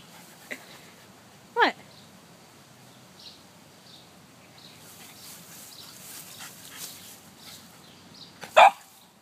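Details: French bulldog Gogo playing and lying about outdoors gives two short, sharp barks about seven seconds apart, the second louder. Quiet background between them.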